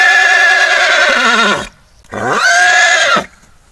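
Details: A horse neighing in two long whinnies, the first about one and a half seconds of loud, wavering harmonic calling that drops in pitch at the end, then a second rising-and-falling whinny after a short pause.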